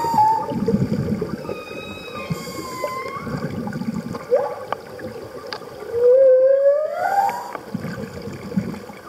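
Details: Humpback whale calling at Roca Partida during a Socorro trip: a series of gliding, whistle-like moans, some falling and some rising, with a strong upward-sweeping whoop late on, amid bubbling and rushing water.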